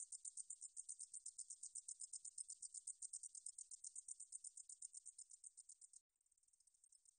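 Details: Meadow katydid singing, from the National Institute of Biological Resources, 2020: a bright high buzzing pulse train, about four beats a second, cuts abruptly after six seconds, then continues much fainter to the end.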